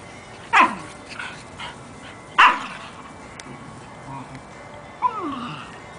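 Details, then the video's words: Petey the Jack Russell and Buckley the Corgi puppy playing together: two sharp yips about two seconds apart, softer grunting noises between, and a short whining squeal near the end. "Petey the Jack Russell & Buckley the Corgi puppy playing around."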